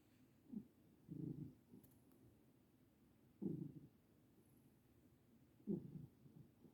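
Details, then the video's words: Senior cat named Mittens asleep and having happy dreams, snoring with a low purring rumble; soft bursts come in slow irregular breaths, roughly one every two seconds, separated by quiet gaps. "Mittens' Purring Snores"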